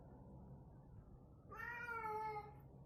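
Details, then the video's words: Female house cat in a crazy, playful mood gives one drawn-out, slightly wavering meow of about a second over a steady low indoor hum. "Cat going crazy and making weird sounds"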